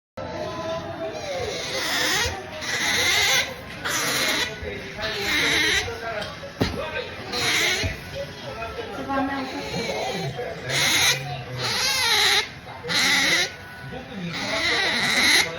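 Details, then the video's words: Otter named Melonpan making pampering noises while drifting off to sleep; high, harmonic squeaking bursts repeat every second or so with short pauses, some rising and falling, alongside quiet human voices. "Otter Melonpan makes pampering noises, drifting off to sleep"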